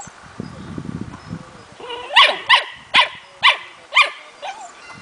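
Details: Puppy smooth fox terrier, four months, in hunting training showing innate hunting instinct; low rustling and scuffling open, then five loud, high barks in steady succession about every half second.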